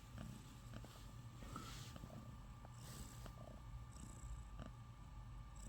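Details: Sleeping kitten, sound asleep, breathing softly: a quiet, steady low rumble with gentle regular pulses, almost purr-like, under a faint background hiss.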